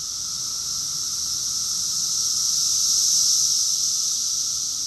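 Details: Summer cicadas in Rockville, Maryland, USA, June 2021, singing as a chorus: continuous shrill buzzing wall of sound, gradually swelling louder toward the middle of the stretch.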